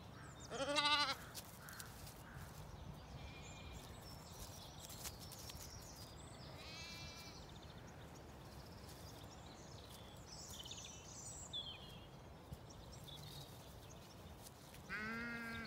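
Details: Sheep on a regenerative farm in County Kilkenny, Ireland, at a dry dawn, lambs playing as ewes feed; a loud bleat near the start and another at the end, with faint distant bleats and steady outdoor background noise between.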